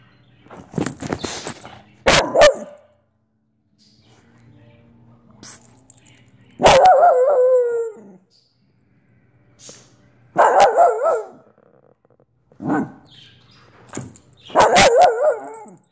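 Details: Olive the Soft Coated Wheaten Terrier lets out a series of four wavering, yodel-like barks across sixteen seconds, with gaps of several seconds, faint rustling and a brief murmur early on.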